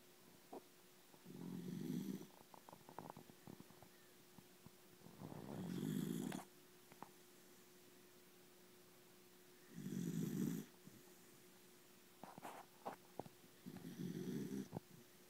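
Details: Sleeping schnauzer snoring: four low, rasping snores, each lasting about a second, spaced roughly four seconds apart, in a quiet room.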